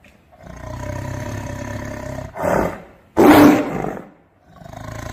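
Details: Tiger vocalizing: a low steady rumbling growl opens, then a short roar and a much louder, harsh blast of roar, fading into quieter rumbling.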